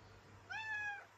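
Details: Maine Coon cat indoors, demanding in the morning and answering back as the owner talks to her; one clear half-second meow, steady and slightly arched, with rich harmonics over a quiet room hum.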